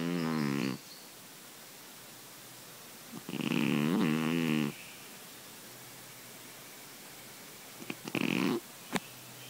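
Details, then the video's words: Sleeping pet cat snoring loudly like a grown man: three raspy, buzzing snores, each under a second to over a second long, separated by quiet pauses of several seconds, with faint soft clicks near the end. "Snoring kitty"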